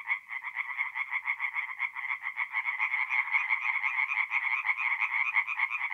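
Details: Tree frogs sing by night at a forest pond in north-east Italy in mid-April, a thick unbroken chorus of fast, harsh repeated pulses, several frogs calling over one another.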